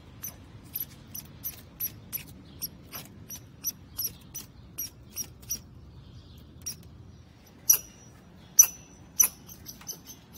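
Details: Squirrel on a wall with lots to say: a run of brief high squeaky chips at an irregular pace, a pause, then a few louder, ringing chirps toward the end.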